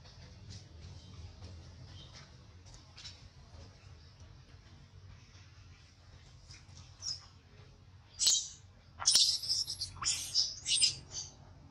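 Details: Baby monkey in a crying tantrum after being mistreated by its mother: after a quiet stretch with low background hum, shrill, high-pitched squealing cries erupt in a rapid cluster of short bursts over the final four seconds.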